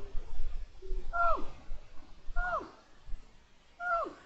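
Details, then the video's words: Lynx named Pillo, in heat, meowing on 23 January 2022: three strong harmonic meows about 1.3 seconds apart, each holding briefly, then sliding steeply downward, over low background rumble. "Maullido de lince en celo (Pillo)"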